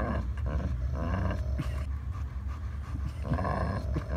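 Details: German Shepherd and Pitbull tussle over a toy; low, throaty growling pulses steadily throughout, mixed with panting breaths and a person speaking.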